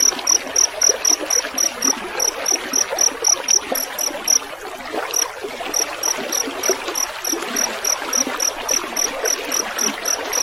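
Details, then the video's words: Rice-field cricket with a gurgling stream, meant as a training track for songbirds: fast high chirps about four per second, pausing briefly midway before resuming, over continuous water noise. "Masteran suara jangkrik gemericik air"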